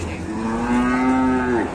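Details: A single steady, strongly harmonic moo from raging cattle on an Indonesian farm, held level for over a second before dipping and cutting off abruptly.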